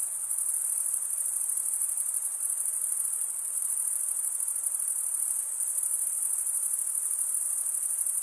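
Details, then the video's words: Crickets stridulating by rubbing one wing's edge over the toothed vein of the other, males the usual singers; an unbroken, very high-pitched shimmering trill holds steady throughout, with a faint hiss beneath and no other sounds. "cricket sound"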